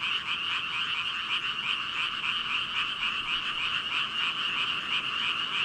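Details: Dense frog chorus from thousands of animals, heard as a blurred, continuous wall of overlapping croaks without a clear single caller.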